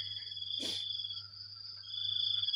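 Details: Crickets on a morning in the rainy season, a steady high-pitched ringing drone holding two even tones without pause, broken once by a short soft rustling burst; low electrical hum beneath.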